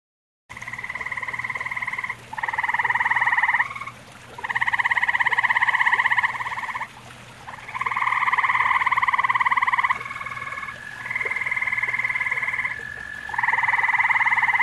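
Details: Several grey tree frogs in a pond shared with common toads, calling in an overlapping chorus of long pulsed trills that run into one another, with brief pauses between bouts and a faint steady hum beneath.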